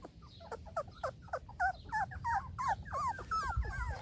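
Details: Golden Retriever puppies giving rapid squeaky whimpers, short cries about three per second, growing slightly longer and bending downward toward the end, over faint low background noise.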